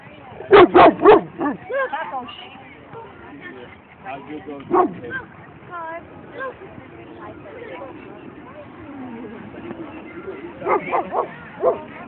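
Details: Boston Terrier at a dog run on 22 May 2011: three sharp barks in quick succession open the recording, a single bark follows mid-way, and a short cluster of barks comes near the end, with people talking in the background throughout.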